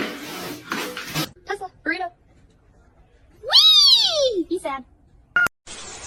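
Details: Domestic cat indoors, from a funny cat compilation. One loud, drawn-out meow rises and then falls over about a second, set between bursts of human speech and other noises.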